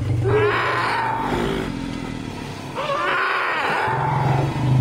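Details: Captive-born elephant calves, four and five months old, with mothers and grandmother freed from chains, vocalising joyfully: two loud harmonic screeches with bellowing, over a constant low engine-like hum.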